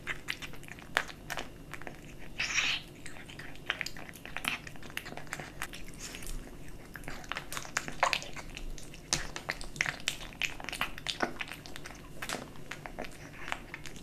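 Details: Small kitten at its bowl of dry and wet cat food, indoors. Crisp crunching bites and moist chomping come in quick irregular bursts, with a louder scrape near the start and a quiet hum beneath.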